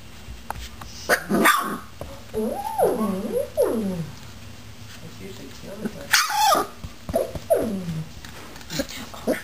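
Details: Four-week-old puppies playing with a frog, giving drawn-out wavering whines and rough growly yelps that rise and fall, with sharp knocks and a person talking nearby.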